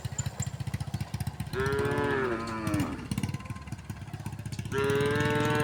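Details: Tame resident cows walking along a road give drawn-out moos, the first sliding downward over about a second and a half, another starting near the end, over a steady rapid low engine-like throbbing.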